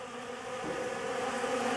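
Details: Many honey bees feed on a homemade pollen substitute, their buzzing forming a thick, even hum that grows slightly louder over the short span.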